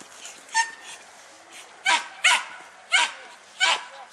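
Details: German Hunting Terrier barking while hunting wild boar: sharp, harsh barks in irregular bursts, six within about four seconds, with quiet gaps between them.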